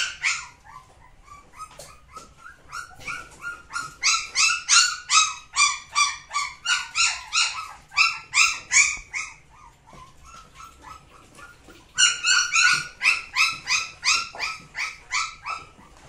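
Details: Samoyed dog barking in fast runs of high, sharp yelping barks, roughly three per second, pausing around ten seconds before a second loud burst; quieter barks between the louder runs.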